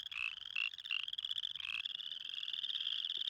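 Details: A male spring peeper with an inflated yellowish throat sac calls for mates at a small spring pond. Short shrill pulses come at first, then a long rising buzzy trill, over other frogs calling nearby.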